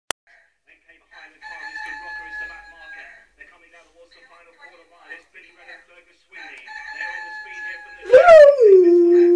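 A Rottweiler breaks into a loud, sliding howl after an electronic rooster-crow alarm sounds.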